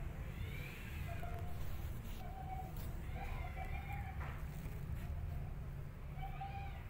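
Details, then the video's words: Angry kitten hiding behind a cat gives short tonal meow-like calls, some with a rising-falling shape, roughly every second or two, over a steady low rumble with faint breathy noise bursts. "Angry Kitten Hiding Behind Cat And Hissing"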